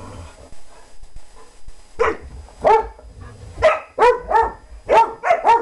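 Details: German Shorthaired Pointer playing and chasing: faint rustling at first, then loud sharp barks starting after two seconds, coming in quick pairs toward the end.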